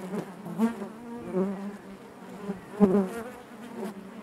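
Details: Honey bees humming within the hive, a thick low buzz with ringing overtones; single bees flare up loudly near 0.6, 1.4 and 2.8 seconds over the steady colony drone.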